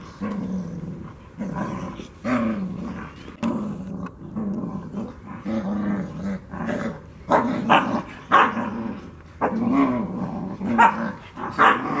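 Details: Black Russian Terrier puppies aged two months: steady low growls in repeated pulses about once a second, broken by occasional higher yips and short barks, louder toward the end.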